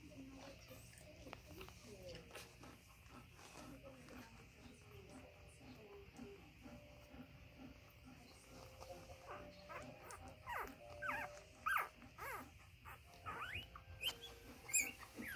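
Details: Newborn Golden Retriever puppies, only a few days old, lying together in a puppy pile; faint, thin squeaks and short whimpering tones come every few seconds and grow more frequent toward the end, over soft rustling and light clicking.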